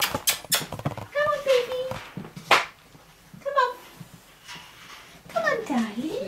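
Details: Cats at Dove Cat Rescue sanctuary, waiting to be rehomed, give drawn-out meows, one held level then falling, another rising and dipping, among soft human talk and handling noises indoors.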